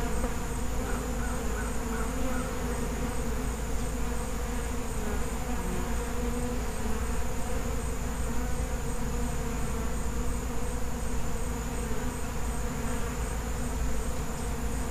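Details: Many bees of a wild, feral honey bee colony make a thick, unwavering buzzing drone with several stacked humming tones, steady from start to end.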